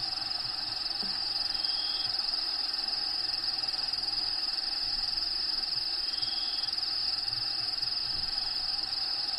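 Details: Continuous shrill cricket trilling from within a bearded dragon's vivarium during feeding, with recorded natural habitat sounds playing in the background; two short thin whistled notes appear, one near two seconds and one near six seconds, over low scattered thumps.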